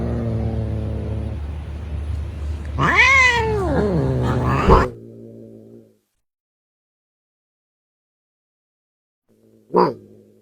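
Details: Cat giving a weird call: a drawn-out wavering meow that rises and falls, after a low droning noise, then a silent gap and one short sharp meow near the end.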